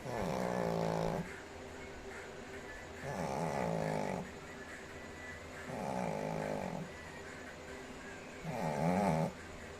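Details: A sleeping Shih Tzu snores steadily in loud, coarse, rasping breaths repeating at a slow, even pace against a faint background hum.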